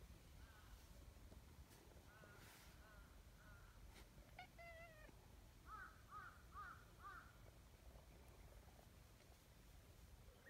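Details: An outdoor community (stray) tabby cat gives a drawn-out meow, then a quick run of four short chirping mews over a low, steady background hum.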